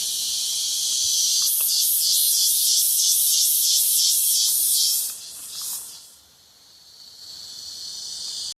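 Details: Cicada chorus in the Brazilian countryside near a river: steady high-pitched buzzing that swells into strongly pulsed rhythmic beats, fades, then returns as a continuous hiss; faint voices in the background.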